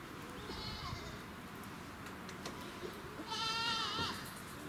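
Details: Goat kid at a farm on the Bandai plateau in Japan, met by visitors; a faint trembling bleat early on, then a clearer wavering bleat near the end over steady low rumble.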